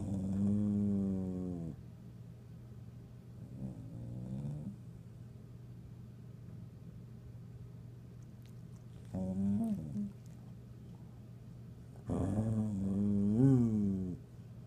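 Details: Conker, an annoyed dog, grumbles at Flint, who walks around the room looking for a toy: long low rumbling growls with a moaning rise and fall, in four bouts separated by quiet stretches, over a steady low hum.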